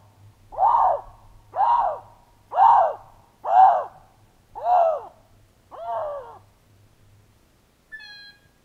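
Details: Male Canada lynx in the wild, leaving scent and calling to attract a female, a week after a female with three kittens passed through; six hoarse, arching yowls roughly one per second, the last ones weaker, then a brief thin whistle.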